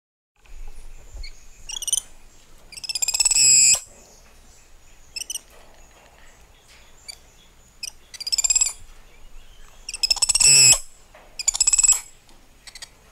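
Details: Spider monkey giving throaty, high-pitched pulsed screeches in short bursts of about a second, several bursts spaced irregularly across the stretch, with quiet gaps and faint chirps between them.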